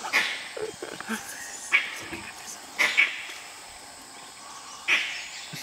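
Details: Dholes in Nagarahole National Park, going after a tiger, utter clear high whistles, some in quick pairs, spaced a second or two apart, with faint low murmurs and rustles in the background.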